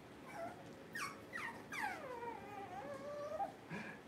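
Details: Puppies indoors during a power outage, giving high, thin whimpers that sweep sharply downward, several overlapping and one drawn out into a long falling whine, with faint background noise.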